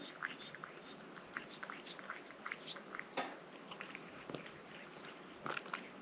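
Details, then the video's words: Indoor cat eating a liquid treat, with steady crunchy chewing and wet bite clicks repeated throughout, one louder smack near the middle and a cluster of bites at the end. "고양이 물 간식 먹는 먹방 ASMR(?)"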